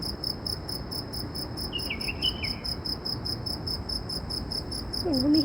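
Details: A loud insect recorded in Saudi Arabia gives a steady, high, pulsing trill that throbs rapidly and evenly throughout.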